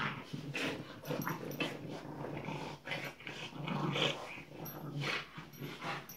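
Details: Playing French Bulldog puppies, Tinkerbell and Woody, produce a steady low growling rumble broken by snorts and small squeaky whines, over constant scratchy shuffling of paws and bodies.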